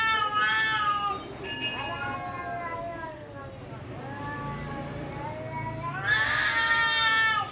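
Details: At a temple, cats in a fight give sustained moaning howls that bend downward then climb again, sounding eerily human, ending in a louder, strained rising wail.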